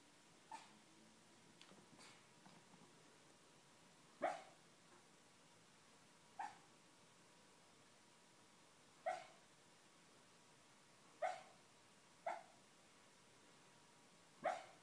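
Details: Schnauzer barking while dreaming, a run of about seven short, muffled woofs at uneven intervals of one to three seconds, each brief and soft, with small rustles before them in a quiet indoor setting.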